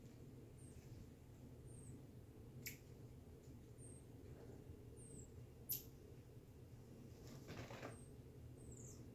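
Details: Reggie the marmoset during playtime indoors, giving short, thin, very high whistled chirps that slide slightly downward, spaced a second or two apart, amid a few sharp knocks and rustles.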